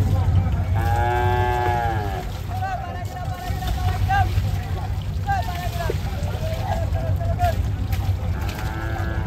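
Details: Bulls being unloaded at Hazratpur cattle market for Eid: several long, drawn-out moos with rich harmonic overtones, some overlapping, others rising and falling, over a steady low rumble of background noise.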